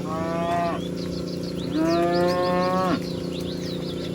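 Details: Cows herded in a meadow among dozens of animals: two clear, drawn-out moos, the second longer and sliding down at its end, with bird chirps above and a constant low hum.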